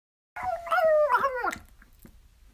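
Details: Chihuahua howling as a mating call: a single wavering, tonal howl of just over a second that rises, holds, then slides downward, trailing into faint breathy sounds.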